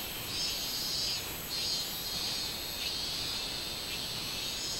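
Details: Robust cicada, 24 July 2016, giving a sustained high-pitched whirring buzz that swells and fades in slower waves, roughly 48 per minute, over a constant shrill hiss.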